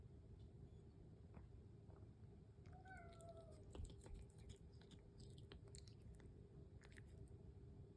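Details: Indoor house cat waiting for breakfast gives one short, smooth meow that dips slightly in pitch, set against a steady low room hum and a run of quick crunching, clicking chewing noises.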